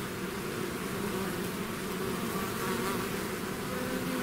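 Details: A swarm of bees out of the hive fills the air with an even, rich buzz, low hum tones steady and a slight swell in loudness toward the end.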